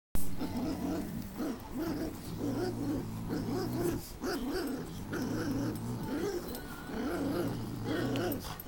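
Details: Pug puppies, eight weeks old, growling during a tug-of-war game with their mother Bailey; rough, rumbling growls pulse in repeated bursts over a low steady hum throughout.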